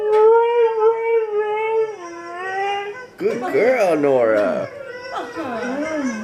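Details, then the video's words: Pet Siberian Husky indoors, reacting to dog videos: a steady sustained howl for two seconds that drops in pitch, followed by wavering, talking-like vocal sounds with bending pitch. "NORA THE HUSKY HOWLS"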